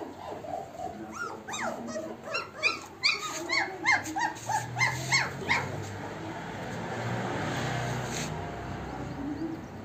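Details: German shepherd and Rottweiler puppies offered for sale in Jaipur, Rajasthan, heard indoors: a rapid series of high, whining yips and whimpers, each rising then falling, packed into the first six seconds before fading into steady background noise.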